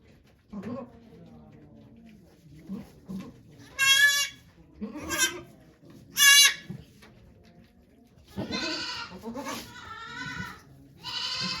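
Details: Goats at Yoshigake farm, Japan, on 3 May 2023, during the birth of twin kids to the nanny goat Okayu as volunteers watch: three short, loud harmonic bleats, then a longer wavering run of bleats, with soft human murmuring underneath.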